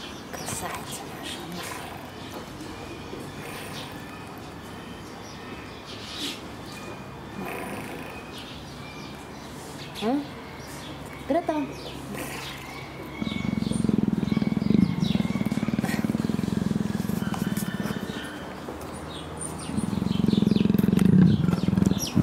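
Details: Affectionate captive female leopard in heat gives a low rumbling purr as a keeper talks softly and offers to scratch her back. Quiet speech and small clicks come first, then two sustained purring stretches near the end.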